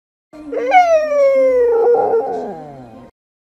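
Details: Corgi Husky mix dog giving one long drawn-out howl, rich in harmonics, sliding slowly downward in pitch over about two and a half seconds before breaking off.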